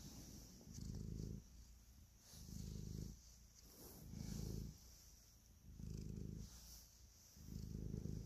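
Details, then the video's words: A domestic cat purring while kneading and showing affection, recorded close up: a deep, rumbling low purr swelling in about five long pulses, one per breath roughly every one and a half seconds, with faint soft rustling above. "Cat Purr, Kneading and Love"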